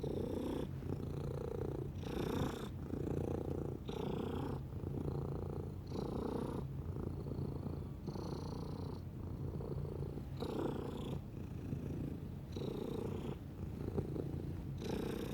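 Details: A domestic cat purrs continuously, its low buzzing rumble rising and falling with each inhale and exhale, plus faint hissy breath noise.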